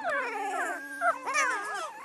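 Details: Spring 2016 litter of newborn Great Pyredane puppies, a blue Great Dane sire and a livestock-guardian dam, crying in a dense chorus of high, wavering whines and squeals, with one steady drawn-out tone underneath.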